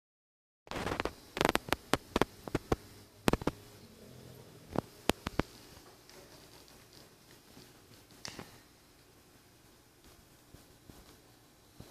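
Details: Only sharp taps, clicks and a low indoor hum, with no clear animal voice.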